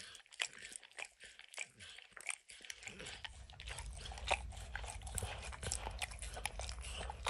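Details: A dog named Max licks and snacks on peanut butter and kibble pressed into an orange mat. Brisk wet lapping clicks carry throughout, and a low rumbling hum joins halfway through.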